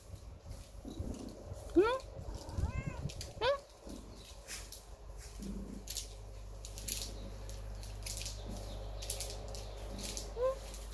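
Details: Ginger cat wanting to sleep on the mattress, giving about four short, rising meows scattered through the recording, with soft rustling and handling noises around them.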